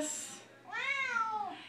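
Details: Siamese cat, female, singing along indoors as a person performs a Les Misérables song: quiet singing fades, then a clear meow arcs up and down for about a second.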